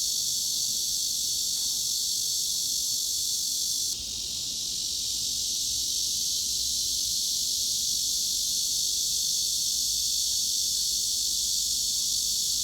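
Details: Shrill, continuous cicada buzz from a tinnitus masking series, even throughout except a brief softening after a few seconds, then the same dense high-pitched drone; no other animals or background sounds.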